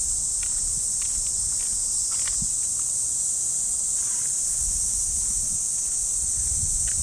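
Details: Early summer morning in a park in Japan: a continuous sizzling cicada chorus overhead, even and unchanging, with scattered footsteps and faint rustling of grass during a dog walk.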